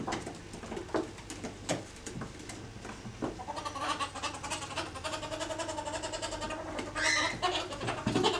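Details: Two ferrets wrestling in an alligator roll while trying to dominate one another give rapid chattering clucks, quick repeated soft bursts that grow busier in the second half, over rustling and thumps from the scuffle.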